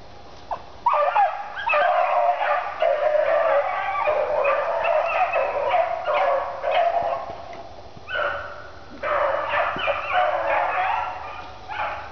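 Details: Two dogs running through a swamp, giving excited, nearly continuous high yelps and whines that rise and fall in bursts, with brief pauses around two and eight seconds.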